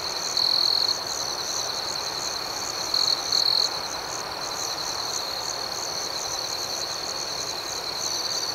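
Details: ['Nighttime crickets keep up an unbroken high-pitched trill with rapid pulsing chirps overhead; two brief louder bursts stand out early and near three seconds.']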